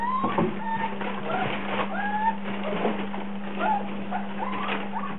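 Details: Several Rhodesian Ridgeback puppies in a frenzy whine and squeal together, thin rising and falling cries tumbling over each other over a constant low electrical hum.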